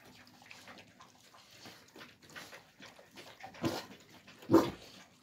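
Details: Young alabai (Central Asian Shepherd Dog) puppies in winter 2022: after soft shuffling and faint whines, two short, loud yelping barks burst out close together near the end, with rustling noise between them.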